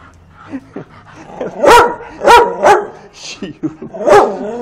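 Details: Bull Terrier puppies giving four loud, sharp yelping barks with strong harmonics, clustered in the middle and near the end, with softer whines between them and a man talking in Portuguese in the background.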